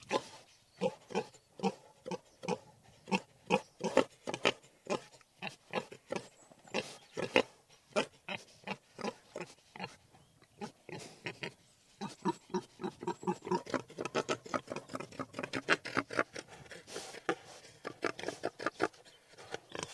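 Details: Wild boar grunting steadily in fast, regular pulses, about two per second, becoming quicker and denser toward the end.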